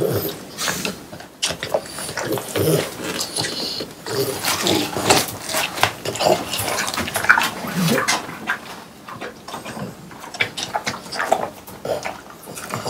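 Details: Watermelon eaten by three pet French Bulldogs on a hot summer day. The close-up chewing is crisp, with clicking bites and moist smacking that come in uneven runs, plus short gaps between mouthfuls.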